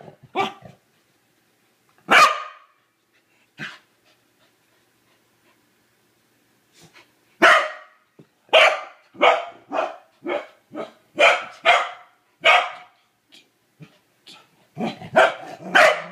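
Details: Kevin Bacon, a Corgi that hates the toilet bowl brush, barking at it indoors: a few isolated barks with long quiet gaps early, then a rapid run of sharp, bright barks roughly every half second toward the end.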